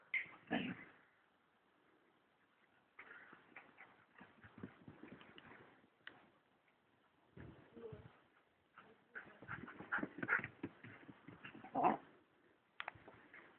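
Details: Two sister German shepherds, Saba, black/brown/gold, and Lola, black, both female, playing together: soft whimpers and whines with scuffling, thumps and rustling bursts, a brief clear whine near the end.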